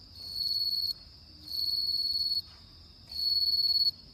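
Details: Bell cricket singing on an autumn night: bright, high, pulsed ringing bursts of about a second, separated by short pauses and repeated roughly every one and a half seconds, three bursts in all, over a quiet background.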